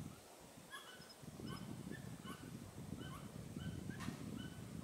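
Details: Pallas's squirrel with its tail raised, on the Tiaoshui old trail, 15 April 2018: short harsh chucking calls repeated about every 0.7 seconds, over steady low rumbling background noise.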